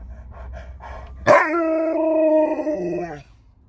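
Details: Sherpa the Alaskan Malamute reacts as the daughter is taken home, giving a sudden, steady, drawn-out howl-like cry of about two seconds that holds a level pitch and then drops lower before it ends. The room is otherwise quiet.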